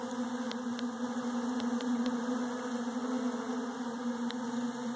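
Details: Steady droning hum of honey bees feeding on Bee Pro, 21 December 2013 at 71 degrees, a constant low buzz with occasional soft clicks and background hiss.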